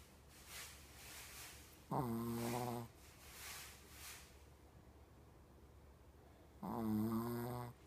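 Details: Coco, a fully blind 14-year-old Shih Tzu with terminal cancer and seizures, indoors on 28 October 2017: rasping, snore-like breaths broken by two drawn-out, voiced moaning groans of about a second each.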